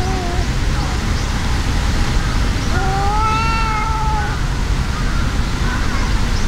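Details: A brown-and-white tabby cat in a fight with a brown tabby, angrily yowling: a short cry, then one long rising-and-falling moaning yowl lasting about two seconds, against constant low outdoor rumble.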